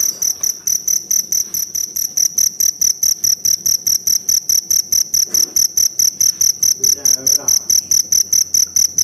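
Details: Forest cricket calling with loud, high, ringing pulses repeated in a steady rhythm about twice per second, a bright tone with a higher overtone; faint low background rustle and a brief soft sound near the end.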